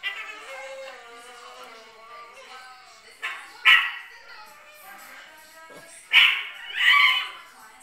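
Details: Indoor Chihuahuas watching themselves on screen open with a thin, quavering whine, then break into scattered piercing yaps, a single one midway and a close pair toward the end.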